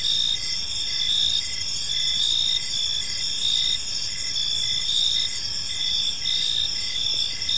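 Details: Evening park chorus of crickets: continuous shrill trilling at several pitches, with a regular pulsed chirp beating beneath the steady ringing drone, no other clear sounds.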